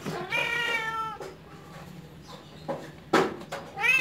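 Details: Persian kittens, home-raised and described as cute and spoiled, give a high harmonic meow lasting nearly a second, then shorter sharp cries and a final rising mew, with quiet room noise between them.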